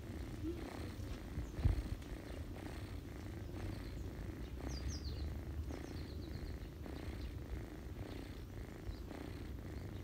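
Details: Ginger mother cat purring steadily while feeding her kittens on a person's lap in autumn; a low, continuous rumbling purr with a soft rhythmic pulse, plus faint high chirps in the background.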